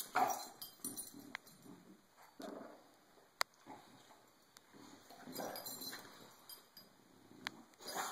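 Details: A bulldog named Cisco, fed up with being bullied, lets out a run of throaty growls and grumbles across the recording, mixed with sharp clicks and scuffling sounds over a constant high-pitched hum.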